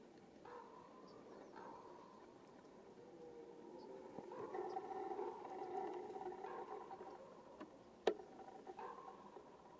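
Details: Red deer roaring during the rut, the mating season: a distant, drawn-out harmonic groan swells in the middle of the recording and then fades, with shorter moans before and after and one sharp click near the end.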